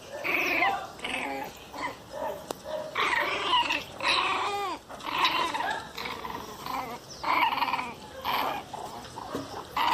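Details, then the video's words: Angry Pinschers growling and snapping in short, rough, snarling bursts with brief rising whines between them, uneven in rhythm and moderately loud indoors. "Pinscher bravos puro ódio"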